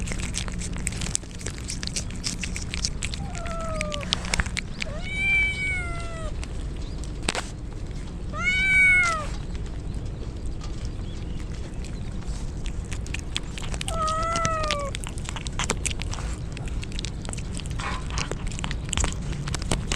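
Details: Wet stray kittens crying in the rain ahead of a typhoon, with mother cats nearby; a few separate arched meows, one doubled, spaced several seconds apart over continuous hissing rain and scattered clicks.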